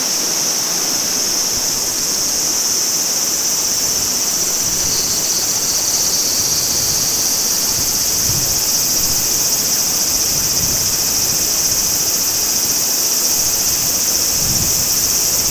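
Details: High continuous cicada drone beside a clear spring-fed stream at Maruike Pond, Mt. Kirishima, Japan, in summer, the shrill hum steady throughout while flowing water murmurs and occasional low thumps sound underneath.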